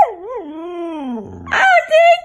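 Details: Ella, a female Siberian Husky, asked at home to 'say I love you', answers with a long, smooth, wavering howl that slowly falls in pitch, then a brief rougher break and a final higher, steady yowl.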